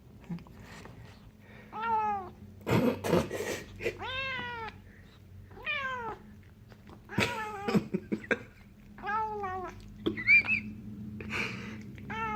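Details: Burmilla kitten, male, indoors after catching and eating a fly, making hungry sounds: a series of drawn-out, wavering meow-like cries with stacked harmonics, about eight in twelve seconds, with sharp clicks and thumps between them.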